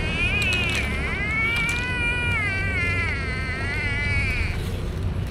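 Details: Stray cat at feeding time, recorded with a DJI Osmo Action. One long, drawn-out, wavering meow lasts about four seconds. Constant low rumbling background noise plays throughout.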